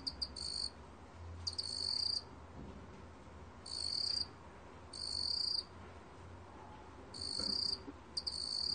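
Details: Meok-gwitturami cricket, Korea, 2020: high metallic trills in bursts of under a second, some pairs, separated by pauses of one to two seconds, with a faint low rumble behind.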